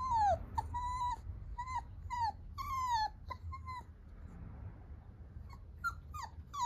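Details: Italian Greyhound puppy whimpers in thin, high whines, several sliding downward, repeated roughly every half second, over a steady low rumble.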